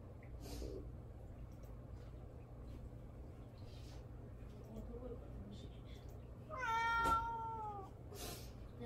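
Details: Pet cat Mamedaifuku calling for attention indoors while being ignored: a quiet room, then one drawn-out, slightly falling meow with rich harmonics lasting about a second and a half near the end.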